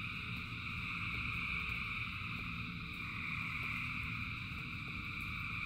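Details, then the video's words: A huge chorus of frogs sings through rainfall, shrill layered trills sustained without pause, light irregular ticks roughly three per second, and a deep steady wash of rain below. "Frogs in Rain 2 Hours of Frogs, Thousands of Frogs Singing"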